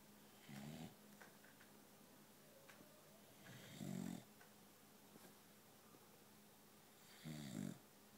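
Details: Two boxers asleep on separate couches in a noisy room, one recently adopted. Deep, muffled snores, likened to gorilla sounds, rumble in slow bursts about three seconds apart, with soft rustles between.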